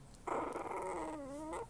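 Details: Cranky eight-week-old Maltipoo puppy, just freed from her cast, sitting in a parking lot outside a pet hospital; one drawn-out nasal whine, slightly falling then lifting at the end, about a second and a half long, with a woman's soothing voice nearby.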